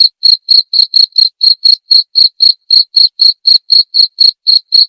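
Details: Cricket chirping, recorded as clear tutor material for training white-rumped shamas: short, even pulses repeating about four times a second in a steady, slightly uneven rhythm, high-pitched and clean with no other sounds behind it.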